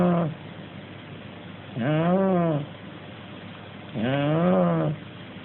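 A sleeping Shar Pei-Corgi mix dog snores with deep, buzzy, slightly tonal breaths that swell and fade. Each snore lasts under a second and repeats roughly every two seconds in a steady breathing rhythm.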